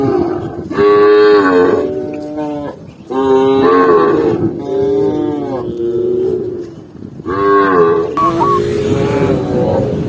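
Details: Tame cattle herded along a green forest path, lowing in four drawn-out moos of about a second each, separated by short pauses; a man's voice calls out near the end.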